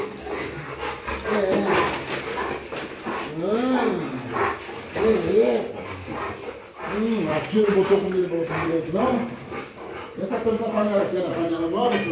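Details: Rottweilers, pet dogs, overjoyed to greet their owners after two days apart; drawn-out whining calls that arch up and fall back, repeated in uneven bursts, overlapping with excited human voices in a room.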